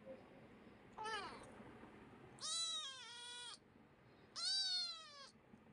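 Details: Attention-seeking kitten meows three times: a faint short cry, then two loud drawn-out meows that hold steady before dropping slightly at the end.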